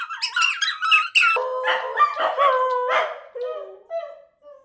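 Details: {'text': 'Dachshunds reacting to their owner leaving the house; high squeaky yips open the clip, then they settle into lower, steady, drawn-out howls that fade toward the end.'}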